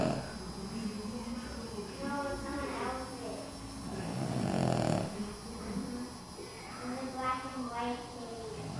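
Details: A Boston Terrier snores in rough, rumbling breaths, with snorting, moaning tones rising and falling, while curled up asleep in children's Halloween costumes.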